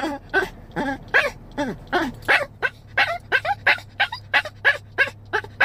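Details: Seven-year-old chihuahua crying for his dog mother like a puppy: a quick run of high, whiny, arched whimpers, about three per second, each with a bent, wavering pitch, over a low steady hum.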